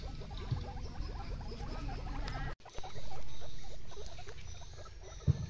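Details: A herd of plump guinea pigs playing in a garden: rapid runs of short, low, upward-flicking squeaks, several each second, over a steady low rumble, with a brief dropout near the middle.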